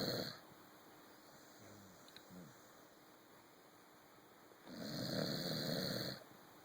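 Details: A Corgi sleeping on a sofa gives loud, raspy snores, each a noisy breath lasting over a second, with quiet breathing and faint room noise in the roughly four-second pauses between snores.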